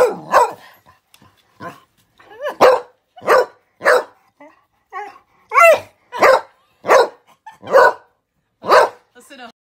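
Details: Excited spaniel at a window, barking in loud, harsh, evenly spaced bursts roughly every half second to second, with a few softer whining, sliding yelps between them.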